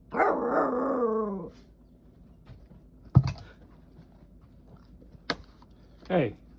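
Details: Roxie the Jack Russell Terrier, wanting to play with her brother, gives one long wavering groan-like whine, followed by scattered sharp barks and a short falling yelp, indoors.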